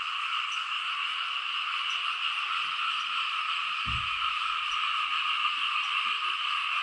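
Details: Frogs chorusing over fields in Laos while it rains, heard at a lower level. An even, droning trill in two pitch bands holds throughout, with one short low thump midway.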